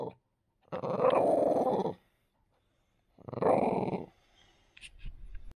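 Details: French Bulldog flaring up over its deer bone, producing two loud raspy growls each lasting about a second, with quieter rumbling and faint shuffling between them.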